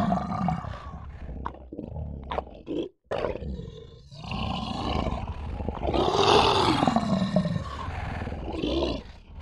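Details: Lion giving rough, deep roars and growls, with a long drawn-out roar rising then falling near the end, interrupted by a brief silent gap.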